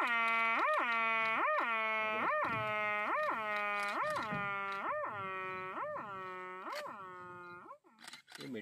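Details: A barasingha in Kanha gives a rutting mating call: a harmonic, wailing tone lifting upward in quick, regular pulses.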